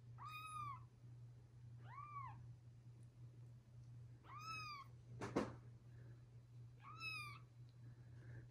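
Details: Newborn kittens with their look-alike big brother and sisters cry in four clear, arched, harmonic-rich meows about two seconds apart, with a sharp click midway over a steady low hum.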